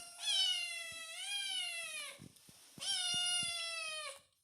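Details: Kitten meowing, perhaps seeking attention: two long drawn-out meows, each about two seconds, slightly rising then falling, rich and harmonic, separated by a short pause.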